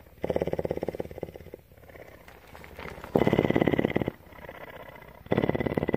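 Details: Purring from Tawney, a captive female mountain lion at CARE, Bridgeport, Texas: a deep, fast-pulsed vibration that swells into strong one-second surges and falls back to a low murmur in between, over and over.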